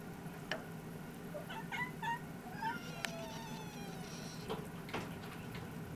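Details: Newborn Munchkin kittens, born 4 February 2017 and recorded during the birth, give thin, high mews, a few short cries in quick succession over a low indoor hum.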